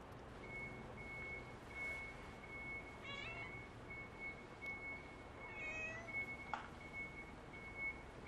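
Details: Stray white-and-tabby cat carrying a leaf on its head gives two short meows a few seconds apart over an outdoor background with a steady high electronic tone beeping intermittently.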